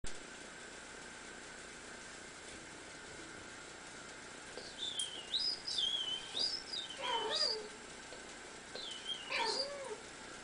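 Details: Female domestic cat responding to whistling: after a stretch of wavering, high whistled notes, two short, drawn-out meows with rising and falling pitch sound about two seconds apart over a steady low hum.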